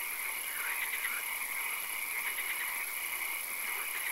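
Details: Night swamp frog chorus: blurred, overlapping rattling croaks, a few louder pulsed bursts near the start, set against a constant high-pitched drone and background hiss.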